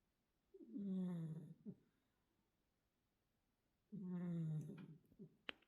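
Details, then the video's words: Arti, a mackerel tabby Korean shorthair house cat, snores indoors: two long, low, rattling snores with a slightly falling tone, about three seconds apart, each followed by a brief soft exhale and a faint click at the end. "이것이 고양이 코골이다!"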